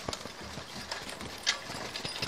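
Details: Two Haflinger geldings arriving as they are driven on a farm near Paisley, Ontario: faint, uneven hoof thuds and a few sharp clicks over a soft rural background.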